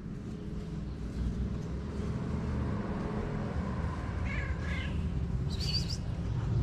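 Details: A male cat waiting in his favorite place for love and food gives short meows: two bent, harmonic calls close together past the fourth second, then a higher, thinner one near the end, over a steady low rumbling background.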